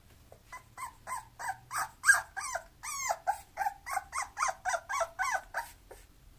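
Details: Bulloxer, a mixed-breed dog, gives a steady, unbroken run of about fifteen sharp, high-pitched yelps, roughly two or three each second, with some rising and falling in pitch.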